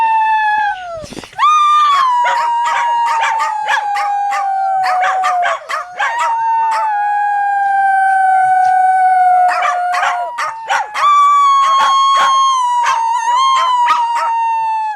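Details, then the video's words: Dogs howling for a try-not-to-howl challenge aimed at pet dogs: one continuous chorus of long, level, slightly wavering howls, punctuated throughout by sharp yips and barks. "Try not to howl challenge for your dogs"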